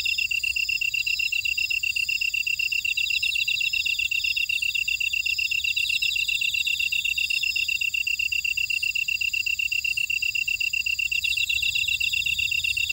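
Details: Grass insects in a buckwheat field at Oradong, Jeju City, on the volcanic island of Jeju, South Korea: a dense, steady chorus of rapid pulsed chirping, a shrill continuous ring overlaid with layered higher trills, with no other sounds.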